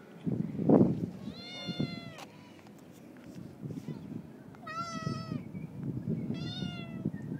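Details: Friendly neighbour's male cat with a raccoon-like tail, meowing while being fed outdoors; three clear harmonic meows, each rising then falling, spaced about two seconds apart, over low rustling and faint background noise.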